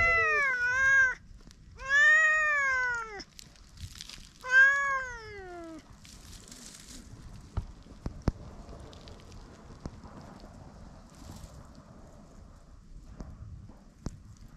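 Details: Flattened-ear stray cats making threat calls, recorded with a GoPro: three arched, harmonic-rich meows in quick succession, then clicks, faint rustling and soft background noise.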